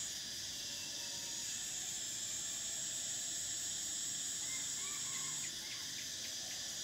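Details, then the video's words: Steady, piercing electric whine of cicadas in summer, sustained for most of the stretch before cutting off abruptly near the end, with a few faint bird chirps in the background. "Cicadas: the sound of summer"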